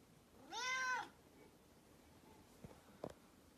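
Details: Grey Korat cat, a blue-grey short-haired domestic breed, among kittens. One clear, drawn-out meow lasting about half a second, rising then falling in pitch. It is followed by quiet background and two faint tapping knocks.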